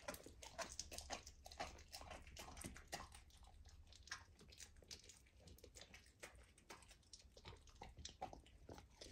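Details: A golden retriever puppy eating raw lamb for the first time makes rapid, uneven chomping and tearing sounds, about two bites a second, over a low background rumble.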